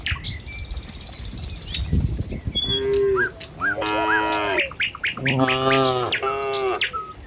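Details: Tame village cattle heading along a country road toward their pen in the morning: two drawn-out, harmonic moos in the second half, with sharp bird chirps and tweets throughout and a soft low rumble early on.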